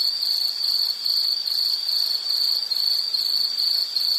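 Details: Insect chirping as a relaxation soundscape for study or sleep: a steady high-pitched trill in rapid pulses, about two to three per second, continuous throughout with a faint hiss behind.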